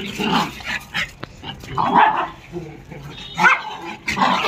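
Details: Pet dog at playtime, barking repeatedly in short yappy bursts about a second apart, with rustling and scuffling of play heard throughout.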